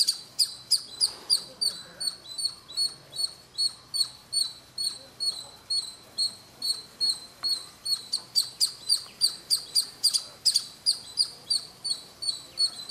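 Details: At noon on a house roof in Kolar Gold Fields, near Bangalore, a little squirrel sits at its usual corner and chirps nonstop; bright, piercing chirps come in quick, even succession, about three per second, and swell louder near the end.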